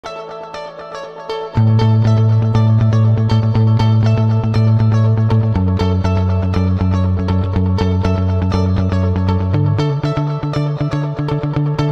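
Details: Loud guitar music with a strong bass line and rapid plucked notes plays throughout, and no animal voice is heard.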